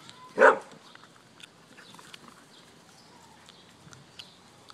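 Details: Pet German Shepherd at play outside on a hot day, letting out a single short, harsh bark early on, followed by several seconds of soft background noise with faint distant sounds.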